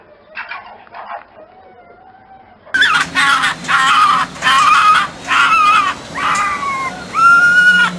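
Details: Fox calling at night: after a faint opening stretch, loud harsh screaming calls in a rapid series of bursts, each with rising and falling tonal bands, roughly one per second, with a brief quieter cry at the start.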